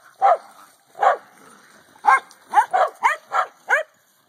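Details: Corgi at play with a hula hoop barking in short yelps, two slow barks followed by a rapid run of about six higher barks.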